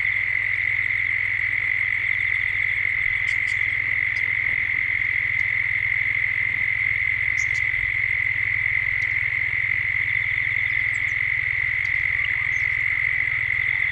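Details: In Gippsland, Australia, cicadas drone at dusk as the ambience builds: a constant piercing buzz steady over fourteen seconds, with occasional short high bird calls breaking through faintly.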